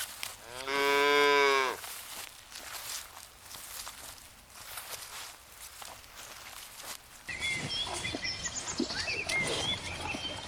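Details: Cow on a lush green meadow in the countryside, searching for food: one loud, long harmonic moo of about a second, steady then falling slightly, followed by quieter background and small birds chirping.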